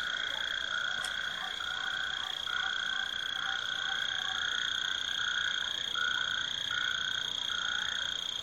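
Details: A chorus of frogs sings after the end of the winter rain in high temperatures, perfect mating weather. Dense overlapping trills and croaks pulse continuously, with a steady high-pitched tone running beneath.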